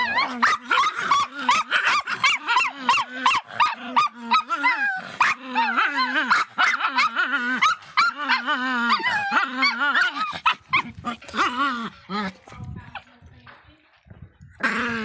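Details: Faisca, an angry little Miniature Pinscher, barks in a rapid, nearly nonstop run of sharp, wavering yelps, roughly three a second, each with a rising-and-falling pitch, fading toward the end before one last loud burst.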